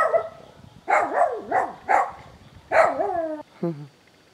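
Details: Kittens from a newly found litter of four mewing: five quick, arched, high mews crowd into about three seconds, each rising then falling, followed by a shorter, lower falling note. The background is quiet.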